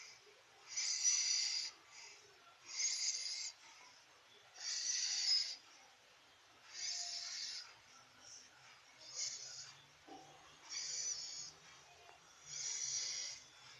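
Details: Snoring from a sleeping pet cat: seven hissy, rasping breaths in a slow, even rhythm, roughly two seconds apart, with a faint low hum in the background.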